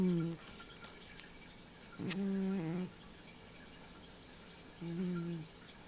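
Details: Pet cat named Nino snoring while asleep and dreaming indoors: low, droning voiced snores lasting under a second, recurring about every two and a half seconds, in a quiet room.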